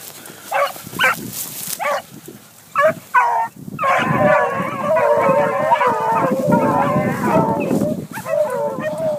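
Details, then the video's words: A pack of young hunting dogs chasing a cottontail: a few separate short barks at first, then a loud continuous chorus of overlapping bays and howls. "Rabbit Hunting Dogs"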